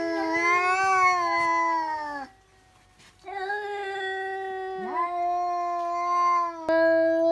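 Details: Domestic cat screaming suddenly, an outburst usually caused by spotting another cat outside; long, loud, wavering harmonic yowls held for about two seconds each, broken by a short silent gap before the next drawn-out wail.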